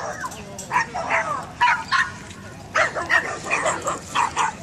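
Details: Poodle hesitating, scared to jump, letting out clusters of short, high yips and whining barks, roughly nine bursts in under five seconds with brief pauses between groups.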